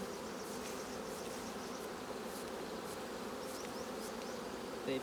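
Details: Colony of honey bees humming continuously as honey is taken from the hive's capped combs, a thick low droning buzz without pause, with a few faint ticking sounds above it.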